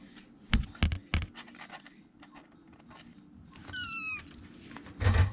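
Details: Rescued baby kittens, three of them, huddling together in a corner of a room to keep warm before starting to explore. A single short, high, slightly falling meow with clear overtones, set among soft thumps and knocks indoors.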